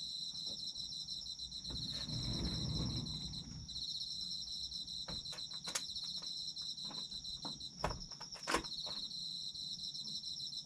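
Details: Autumn insects trill steadily in two high pulsed bands while several sharp clicks and taps break in. A low rumbling noise swells briefly in the first few seconds.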